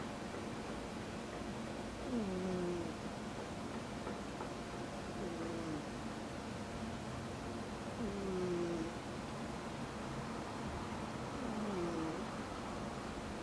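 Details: Male pet cat with a damaged eye, once abandoned by a breeder and rescued by a vet in Tochigi, Japan, snoring in sleep: soft whistling breaths sliding down in pitch, roughly every three seconds, over a steady background hiss.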